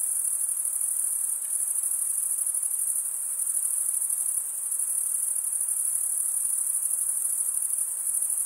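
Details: Stridulating male crickets fill the air with a continuous, very high, finely pulsed shrilling that holds constant from start to finish, with only a soft background hiss.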